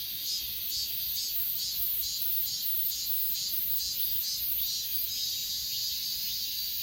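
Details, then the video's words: Achasan grass insects, recorded with an S20 Ultra, keep up a bright, steady shrill chorus with evenly spaced chirp pulses a little faster than twice a second. "아차산 풀벌레소리"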